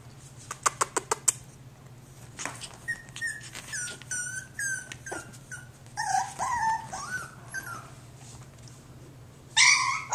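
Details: Jack Russell Terrier puppy named Eden giving thin, high whines that drop in pitch, one after another, plus a quick burst of sharp clicks at the start and a loud scratchy rustle near the end, all indoors.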